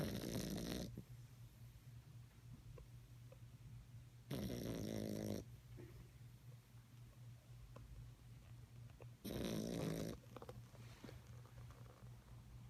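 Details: Puppy asleep, snoring: three loud, harsh, rattling snores roughly every four to five seconds over a constant low hum of quieter breathing.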